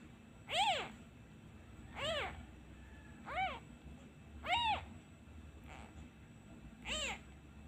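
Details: Crying abandoned kitten, upset when the hand is taken away and missing its mother: six loud, clear meows that rise and fall in an arch, spaced about one to one and a half seconds apart, in a quiet room.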